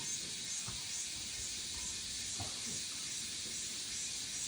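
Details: Cicadas in summer sing in a steady, high, hissing drone that never breaks, with faint low thumps beneath.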